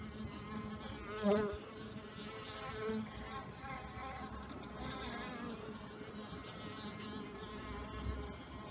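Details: ['Honey bees out in numbers on a warm, pleasant new-year day after a torrential overnight downpour: a steady, low droning hum with layered harmonics, a few louder buzzes of individual bees passing close near the start and around three seconds.']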